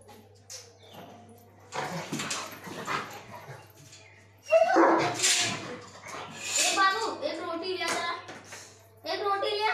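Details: Rottweiler; play vocalizations; rough, aggressive-sounding play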